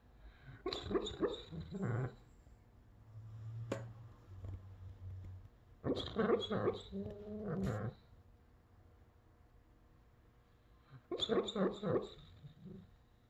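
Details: Sleeping Doberman vocalizing while dreaming indoors; three clusters of muffled, choppy woofs and whines, each about two seconds long, separated by quiet breathing and a low hum.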